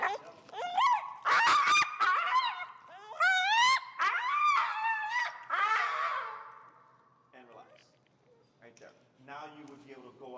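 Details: Finnegan, a feral husky, loudly disagrees with heel work during a Chicago training session. A rapid run of yodeling, warbling complaints with sharp rising and falling swoops fills six seconds. Quieter grumbles and a man's voice follow.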